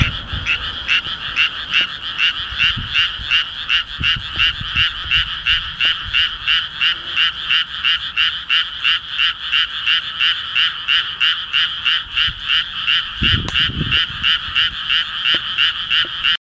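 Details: A frog sings in rapid, evenly spaced rattling croaks, roughly three per second, repeated without pause throughout, with a brief low knock in the background near the end.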